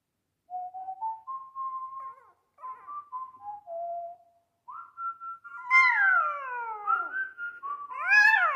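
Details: A small dog singing along with a TV show's opening music, giving drawn-out tonal howls that rise and fall, starting soft and sustained, then louder sliding wails with bright overtones toward the end.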